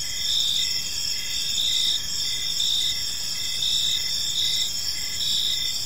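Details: Crickets in a park at evening produce a high, continuous shimmering chirp, with gently pulsing swells and slightly louder bursts at irregular intervals, over a soft low background rumble.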